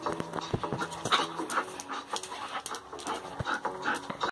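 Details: Siberian Husky panting, a rapid rhythmic run of breathy puffs about two to three per second, with some background clatter and faint voices.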